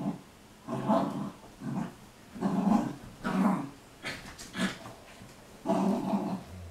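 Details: Arwen the Sealyham Terrier wrestling two shepherds, Desi and Marilyn. Low, rumbling growls swell and fade in roughly six pulses, each lasting around half a second, with quiet breathing gaps between.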